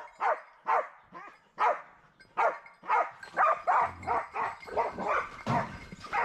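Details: Hounds barking during wild boar hunting training: loud, harsh barks roughly every half second, growing denser and overlapping toward the end as more dogs join.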